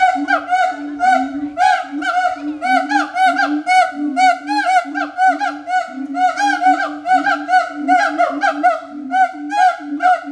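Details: At the Berlin Zoo, siamangs give a loud, droning hoot under a rapid series of sharp, ringing barks and whoops.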